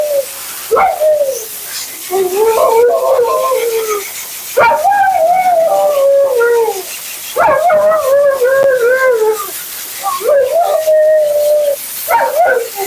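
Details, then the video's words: Talkative Siberian Husky Mila, during her bath and blowout with thick double coat shedding, utters a series of wavering, descending moans and yodels, each a second or two long, over steady hissing grooming noise. "Talking Husky FURNADO Bath and Blowout"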